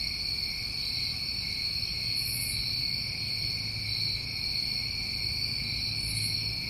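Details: Continuous trilling of many crickets on a New England summer evening: a seamless high-pitched ringing in stacked tones, gently pulsing, with two short very high buzzes and a quiet low hum underneath.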